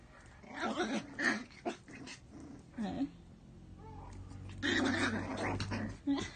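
A Miniature Pinscher gives sharp, irregular barks mixed with rough growly bursts, with people talking nearby.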